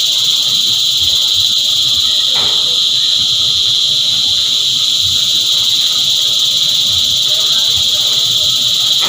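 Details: Many cicadas sing together as a relentless shrill hiss that stays flat and constant from start to end, with faint scattered background clicks beneath the wall of insect sound.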